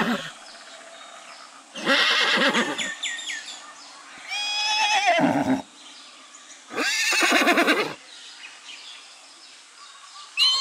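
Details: Goat imitating a horse's neigh: three loud, harsh whinny-like calls about two to three seconds apart, each sliding down in pitch with a rough, quavering texture, with quiet background between calls.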